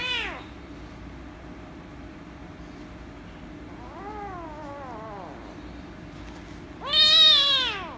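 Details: Rescue kitten, angry at being petted, gives loud meows: a brief falling cry at the start, a softer wavering meow midway, then a loud, sharp, high meow near the end, with steady low hum between.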